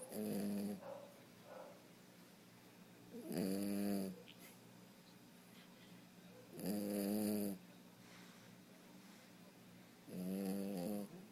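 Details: French Bulldog named Fred snoring while asleep indoors: four loud, harsh, buzzy snores, each lasting about a second, come at a steady rhythm roughly every three and a half seconds, with quiet breathing between them.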